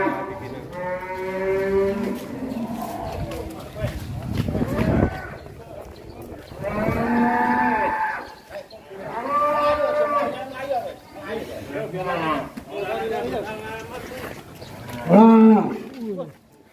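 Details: A strong one-ton cattle, running wild and breaking out of its pen, lows in long harmonic moos at the start, around eight seconds and a sharp final bellow, with gaps of rustling and handling noise.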